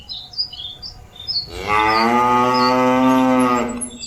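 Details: Cattle calling companions back to the pen: one long, steady, harmonic moo lasting about two seconds, with faint bird chirps in the background before it begins.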